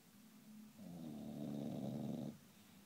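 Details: English Bulldog asleep, giving one long throaty snore of about a second and a half, coarse and rumbling, rising out of soft nasal breathing and fading back into it.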